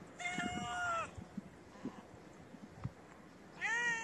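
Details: Homeless street cat, shy female approaching to sniff the camera, giving a drawn-out, slightly falling meow, then after quiet shuffling and small thumps a second rising meow at the end.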